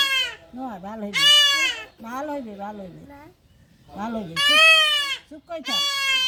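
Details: Goat kid being castrated: two loud, quavering bleats stand out against frequent human talk and murmured reassurance in between.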